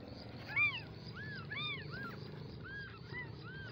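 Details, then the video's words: Several young kittens mewing, short high arched cries overlapping one another, about seven in under four seconds, over a steady low background rumble. "Mini cute kittens baby meowing"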